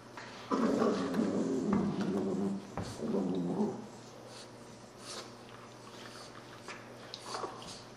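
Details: Puppies playing together; low throaty play growls rumble in two bursts over the first few seconds, then fade to quiet shuffling with a faint whine near the end.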